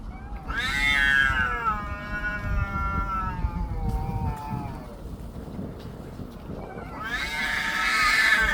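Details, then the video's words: Quarrelling street cats letting out drawn-out, sliding caterwauls, one long descending moan followed by a pause and then a sharp rising, louder yowl, with faint outdoor rumble underneath. "야~~~목소리 큰놈이 이긴다"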